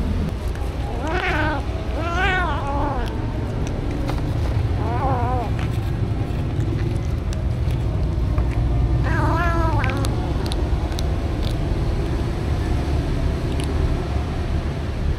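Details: Happy stray cats at feeding time, captured with a DJI Osmo Action: several short, rising-then-falling meows in quick succession, then a pause and one more, against a constant low background rumble.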